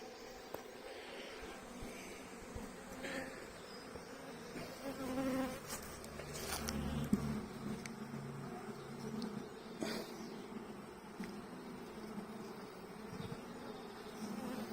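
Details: Busy honey bee colony humming as a hive inspection wraps up and the box is closed; continuous buzz of many bees with frame knocks, scrapes and a few sharp clicks scattered throughout.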